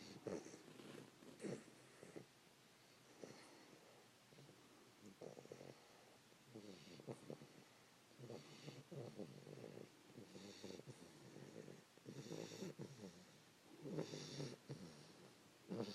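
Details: Fannie, a 3-month-old English Bulldog puppy sleeping beside her owner around 5 AM, gives irregular rattling snores and snuffling snorts that come roughly every two seconds through the stretch, with a few louder bursts near the end.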